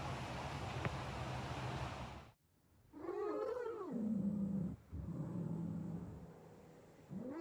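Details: Maine Coon kitten, female, lounging on a patio, makes drawn-out, low, wavering meows after a burst of rustling noise, each call sliding downward and trailing off, with a brief quiet gap between them.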